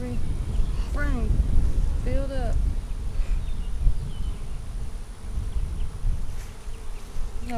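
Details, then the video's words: Low, rumbling hum of honey bees at an April 15, 2017 inspection of a spring split hive, overlaid by two short rising-falling whistled calls from another animal in the first few seconds. "Bee Hive Inspection"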